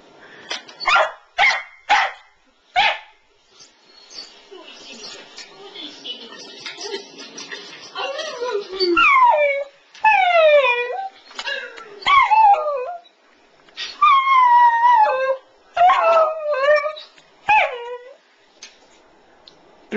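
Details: A pet West Highland White Terrier at home, set off by hearing a recording of its own earlier howling, starts with a few sharp barks, then howls in a run of sliding, falling, yodel-like wails, each about a second long, with short pauses between.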